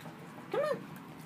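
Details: A pet dog named Tippy, a female, being let outside and greeted happily: one short rising-then-falling whine lasting about a quarter second, with a woman coaxing her just before and after.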